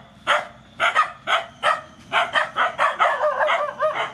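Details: At feeding, rescued mother dogs and puppies give a run of bright, clipped barks, roughly two per second, falling into a quicker overlapping cluster toward the end.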